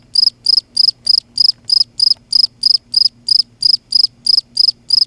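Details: A cricket in Kerala calls loudly at night. It gives an even series of bright, high, buzzy chirps, roughly three every second, with a light low hum behind.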